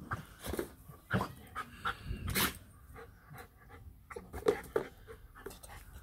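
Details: German Shepherd with a new toy, short noisy breaths and snuffles mixed with loud thumps and rattling as it plays, some brief whimper-like tones.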